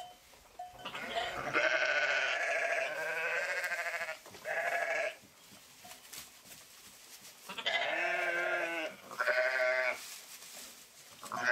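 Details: Several sheep bleats in close succession: long, quavering, nasal cries with rich harmonics, some drawn out over two seconds, separated by brief quiet gaps.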